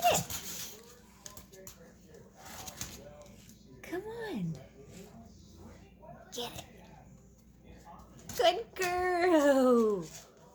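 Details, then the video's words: Boxer dog indoors, vocal and afraid to get a ball toy from under a shopping bag; scattered speech and household noise, then a loud drawn-out whine with stacked falling harmonics near the end. "Vocal Boxer dog afraid of toy"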